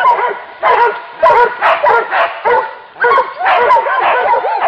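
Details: Hunting dog barking at a wild boar during a hunt: harsh, rapid barks in overlapping bursts, roughly eight or nine within five seconds, mixed with higher yelping notes and brief pauses between volleys.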